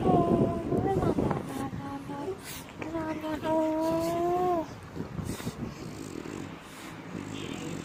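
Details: Pierre, a French Bulldog, is being very affectionate. He gives a long, steady, tonal whine that falls slightly at the end, with shorter whimpers before it, over a noisy, rumbling background.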